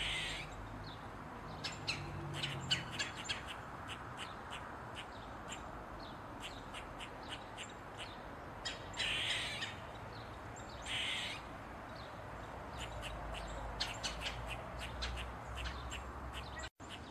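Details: Eastern gray squirrel (Sciurus carolinensis) on a mushroom, tail wagging, calling loudly. Rapid bursts of sharp chucking clicks are broken by two longer, grating squeals, then the quick chatter resumes.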